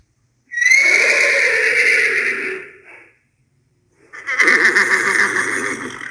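Two full neighs from a horse, separated by a brief pause. Each starts high and piercing, then trembles and tails off into a lower, shaky whinny.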